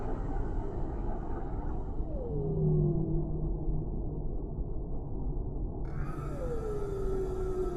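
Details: Whales in the deep sea: two smooth, mournful calls slide down in pitch and then level off into sustained tones, with a faint low hum and a dense, muffled ocean rumble beneath.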